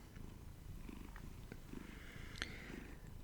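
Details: A domestic cat cuddled up on a person's lap purrs steadily, a low rumbling throb with a faint sharp click near the end; street construction noise may be present.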